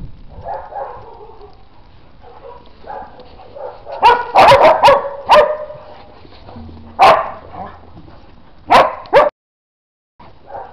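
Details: Dog out in the snow, giving a burst of short, sharp barks in a cluster, then single loud barks spaced about two seconds apart, with quiet whining and snuffling between.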